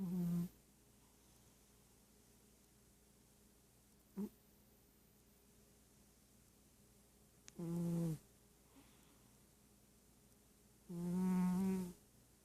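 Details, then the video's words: Sleeping pet cat snoring indoors: low, buzzy, harmonic snores come in bursts every three to four seconds, one short and the last longest and loudest, with faint room hiss between them. "Snoring cat"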